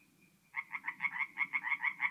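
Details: Tree frogs singing by night at a forest pond in North-East Italy in mid-April: after a faint tone, a rapid train of about ten harsh, rhythmic croaking pulses, with a soft low murmur beneath.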